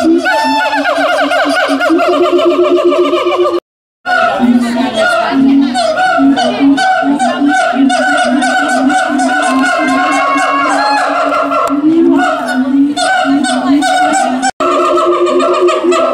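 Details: Siamangs at the Tulsa Zoo "caroling" on 21 December 2017: a dense, loud chorus of rich harmonic barks and hoots layered over a steady low droning tone, running almost continuously with a brief break near four seconds.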